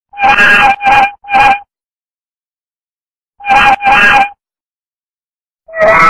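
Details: Domestic cat yelling at the camera: loud, harsh, strongly harmonic meows in short bursts. Three come in quick succession, then a pause, then two more and a final one, with silence between the groups.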